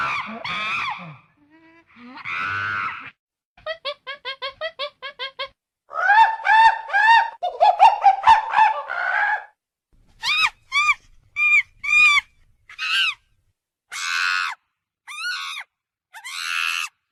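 A monkey gives a varied series of harsh chatters, rapid pulsed notes and sharp squealing cries.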